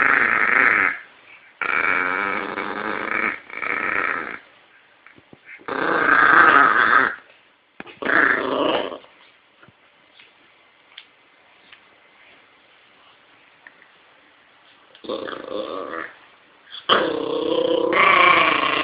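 A small terrier growls and snarls in rough, second-long bursts, falling quiet for several seconds midway.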